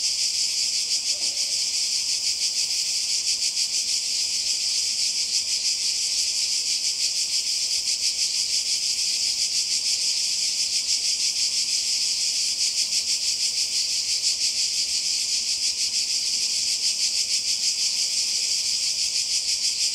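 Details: Cicadas calling by the sea in Croatia in summer 2020: a dense, steady high buzzing chorus with a fast pulsing shimmer, unbroken throughout, no other clear sounds.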